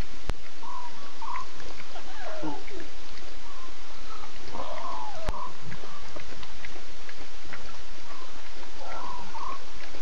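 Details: Six lion cubs with three adult Nkuhuma lionesses at 02:50 a.m. on 8 September, cubs talkative while adults contact call and look around; short mewing calls in scattered bursts over steady broadband hiss.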